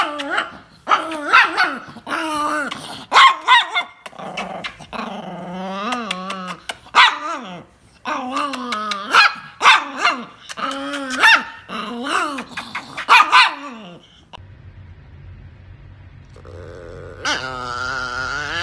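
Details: An angry dog, seemingly Sammy, shows its anger at being kept off the counter. It gives a long run of rapid grumbling growls and yappy barks indoors, followed by music near the end.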